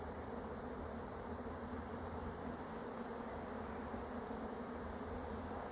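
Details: Massed honey bees of a swarm that is being caught, a loud steady droning buzz without pauses.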